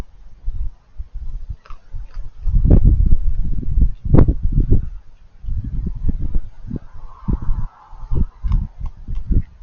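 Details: Raccoon eating, making crunchy chewing noises: dense bursts of low crackling crunches and smacks, irregular and loud, with a brief muffled hum partway through.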